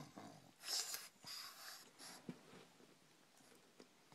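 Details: Victor-Guillaume, a pug, snoring at night while sleeping upside down in a closet, 24 May 2012: three wheezy, breathy snore bursts in the first two seconds, then softer fading breaths in a quiet indoor room.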